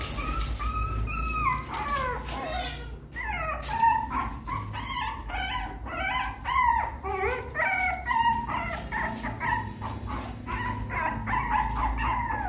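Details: Puppy learning to climb a little step into the nest, giving many high whimpering and whining calls, rising and falling, overlapping in quick succession as if several pups, over a steady low hum.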